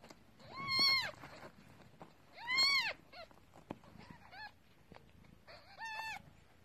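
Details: Hungry kittens born to a domesticated stray cat, being fed milk by their mother: three loud, high, arching mews spaced about two seconds apart, with a few softer squeaks between them.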